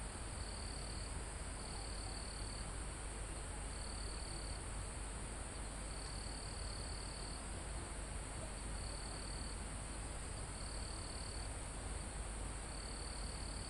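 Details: Insects and crickets near a mountaintop forest, live recording: a shrill trill repeats in bursts of about a second every one to two seconds above a constant high drone, with soft wind through trees underneath.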